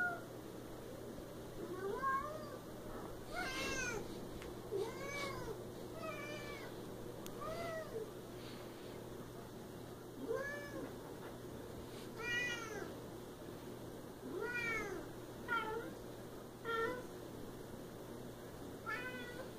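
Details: Siamese cat, apparently named Bella, calling in a rapid run of loud, wavering meows, some stretched and yowling, repeated every second or so, with a steady low hum beneath.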